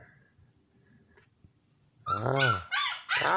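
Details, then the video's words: Siberian Husky puppy, seven weeks old, gives a loud drawn-out whining howl followed by two shorter high yelps after nearly two seconds of quiet room noise. "7 weeks old HUSKY puppies"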